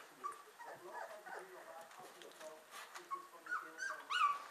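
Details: Whippet pups, 25 days old, make thin, high whining squeaks that rise and bend in pitch, growing busier toward the end, while people talk softly in the background.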